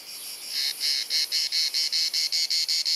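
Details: Cicada singing on a hot sunny summer afternoon in Dalmatia, Croatia, filmed on a Panasonic Lumix compact camera: a faint buzz swells into loud, evenly spaced rasping pulses, about five per second, steady to the end.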